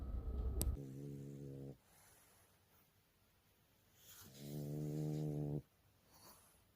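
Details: Female French Bulldog Jjanga, nine months old, recorded 30 August 2019, gives two long buzzing snores of about one and a half seconds each, low and rich in overtones, separated by quiet breathing pauses; a sharp click opens the stretch.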